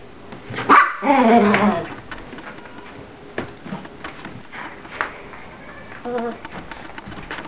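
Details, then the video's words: A Miniature Pinscher that hates being filmed gets upset at the camera, giving a grumbling whine with a clear tonal quality, then a brief second one. "Miniature Pinscher gets upset with camera"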